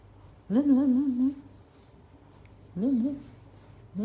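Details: Little male puppy in a playful tug-of-war, refusing to let go of a pink cloth; whiny, wavering growl held about a second, then shorter repeats, quiet room behind.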